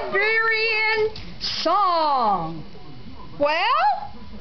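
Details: Three Siberian huskies howling together, trying to outdo each other: a long steady wavering howl, then sliding yodel-like howls that rise and fall, with a person coaxing them to sing more.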